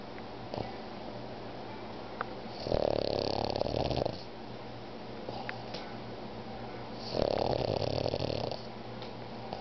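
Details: Sleeping three-year-old pug named Joey gives two drawn-out, harsh, rattling snores about four seconds apart, each lasting roughly a second and a half, with soft breathing between them in a quiet room.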